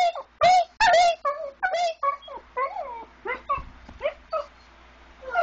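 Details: A dog singing first thing in the morning before daylight, prompted by a person singing: a series of wavering, rising and falling howls and yips, some long and sliding, with brief pauses between phrases.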